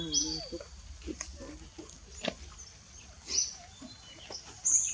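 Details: Piercing high squeaks from monkeys while mother Libby takes baby Brady back from Rose, three main cries spaced about every one to two seconds, with soft clicks and rustling in between.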